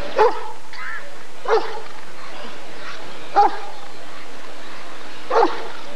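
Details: Rottweiler at the 1994 ADRK Körung breed survey giving single deep barks, four in six seconds, spaced about one and a half to two seconds apart, over a faint murmur of people.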